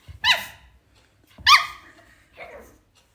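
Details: Shih Tzu dog screaming: two loud, high, strongly harmonic cries that slide downward, a little over a second apart, then a softer, shorter third cry, with breathy sounds between.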